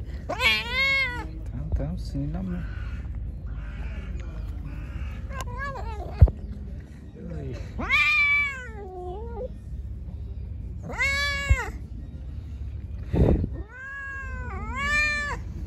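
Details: Angry, hungry pregnant stray cat meowing repeatedly while being given food: long, loud, arching harmonic cries spaced a few seconds apart, some rising then falling, over low background noise with occasional clicks.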